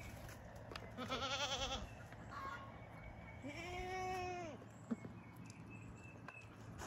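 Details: Baby LaMancha milking goats on a homestead in the morning; two nasal bleats, the first wavering and buzzy, the second a longer smooth rising-then-falling bleat, followed by a person saying "boop".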